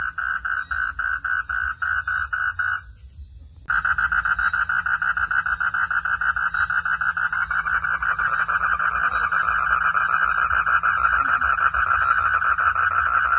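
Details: A frog calls at night in a forest with a rapid, rattling series of pulses at a steady mid pitch, several per second; after a short pause the trill resumes almost without a break.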